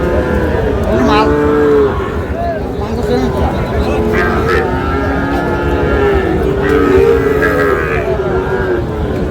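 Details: Sahiwal-breed cattle at a Noakhali market in Bangladesh on 18 June, several long, wavering moos rising and falling in turn over a dense murmur of people talking and haggling.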